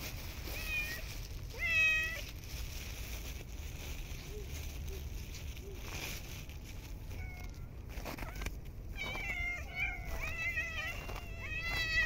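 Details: Urban street cats in cold snowy winter, gathering while being fed, meow repeatedly: a clear meow early on, a few quiet ones, then overlapping insistent meows from more than one cat toward the end, amid rustling and clatter.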